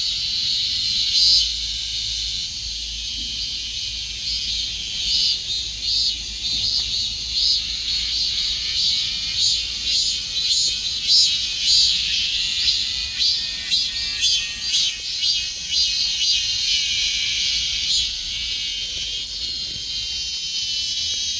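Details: Cicadas droning in an unbroken high-pitched buzz, pulsing roughly twice a second with uneven beats, a constant bright hiss running through the whole stretch.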